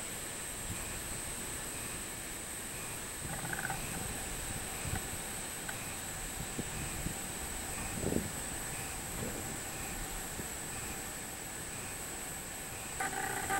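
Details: A robust cicada (minmin-zemi) recorded on 24 July 2016 in Japan sings a steady, high, shrill drone over faint repeated pulsing notes.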